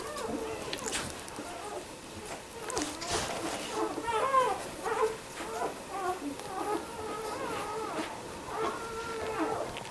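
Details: Four-week-old Labrador Retriever puppies giving overlapping high, whiny squeaks and whimpers that waver up and down in pitch, in irregular bursts, with soft clicks and rustling between them.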